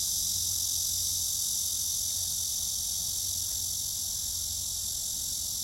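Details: Cicadas singing a steady, unbroken high-pitched buzz, with a faint low rumble beneath.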